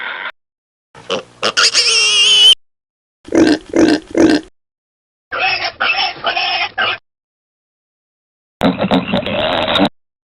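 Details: Piglets suckling among pigs: a high, whining harmonic squeal, then a trio of soft grunts, a raspy chattering bout and a final noisy, harsh squeal, all cut apart by silent pauses.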